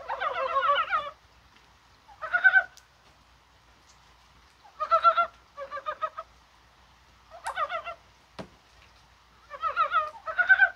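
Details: A Korean mountain frog calls on 21 January on a rainy, spring-like day, possibly while spawning, giving rough, rapidly pulsed, rattling croaks in bursts of about a second, repeated steadily against a quiet background.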